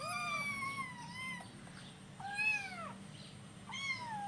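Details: Kittens hungry for breakfast cry out in a run of drawn-out, wavering meows, some rising and then dropping in pitch, with one fainter call in between.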